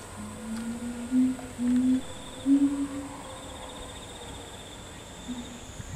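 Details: Chimpanzee in the troop of boss male Ryu, with grandfather Charlie, youngster Riki and twin sisters: a short run of low, steady hooted notes, a few louder in the middle, then quiet with faint background hiss.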